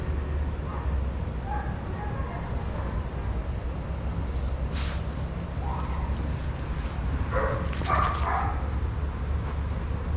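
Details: Adoptable shelter dogs playing together at a daycare give scattered short barks, a burst near the end standing out, over a steady low rumbling background.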